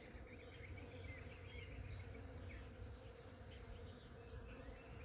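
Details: Western honey bees pollinating early spring flowers on neighbourhood trees in Tennessee give a low, steady droning buzz, with faint high chirps now and then.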